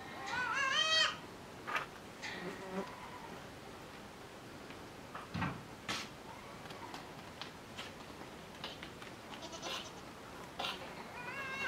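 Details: Five-month-old miniature goat kids on a farm, discovering mating; loud quavering, harmonic-rich bleats open the recording, softer short bleats and scattered knocks follow, and another wavering bleat closes it.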